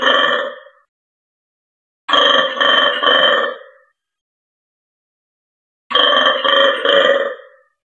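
A black-and-white colobus gives deep, rattling, pulsed croaks in bursts of about one and a half seconds, with quiet gaps between them.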